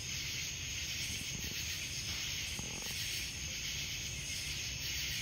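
Cicadas keep up a steady, high buzzing drone that fills the air without a break.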